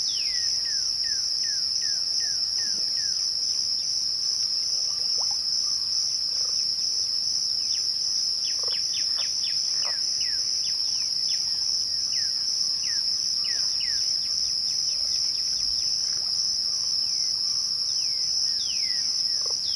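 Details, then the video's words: A dense cricket chorus at twilight keeps up a steady high ringing drone. Many short falling and rising whistled notes from other callers are scattered thickly across the recording. "twilight crickets"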